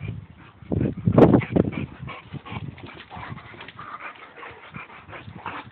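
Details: Two dogs, a Boxer and a Labrador, mud wrestle: a sharp, loud growling snarl near the first second, then lighter quick grunts and panting amid scuffling.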